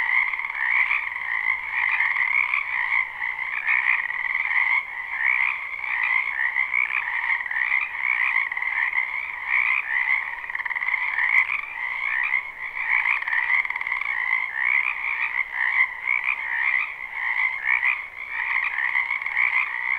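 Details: Spring wetland frogs in full chorus behind a house, recorded live and not looped; a thick, continuous wall of trilling croaks with a higher and a lower voice layer, pulsing softly in intensity over twenty seconds.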